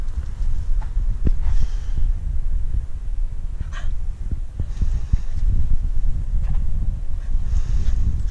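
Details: A female Staffordshire Bull Terrier gives a low, rumbling growl while on guard over her stick.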